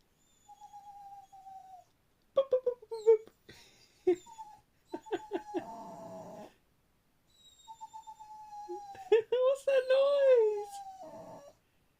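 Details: Funny noises from a pet dog indoors: drawn-out, gently falling whines alternate with quick clicky yelps and a longer wavering moan, while a person speaks over some of the calls.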